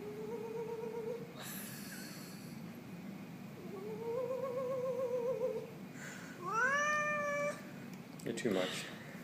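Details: Pet kitty indoors, a Halloween cat, making a string of varied meows, one long and wavering and one sharply rising, with a person speaking briefly and some handling noise.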